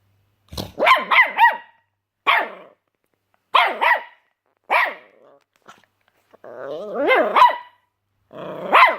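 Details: Puppy barking at snoring: short, sharp yaps in quick clusters of two or three, then single barks spaced about a second apart, with a longer wavering, growl-tinged bout near the end.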